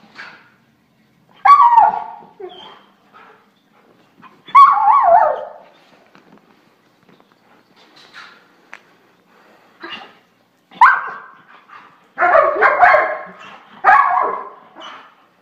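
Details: German Shorthaired Pointer, kept as a pet, barks and yowls in irregular bursts, with quiet whimpers and faint human speech in the gaps and a denser run of barking toward the end.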